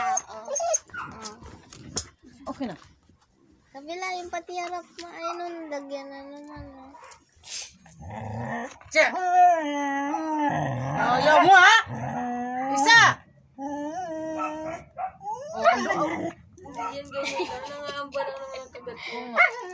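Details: Arguing Siberian Husky producing long, warbling, moaning whines with bending pitch, some held tones and grumbling, growl-like passages in the middle; the bursts come irregularly, and a person's speech mixes in.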